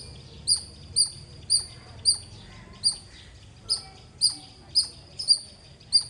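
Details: Clean, loud chirping from a squirrel: high, bright chips with a short falling tail, about eleven of them, spaced roughly half a second apart over a quiet background.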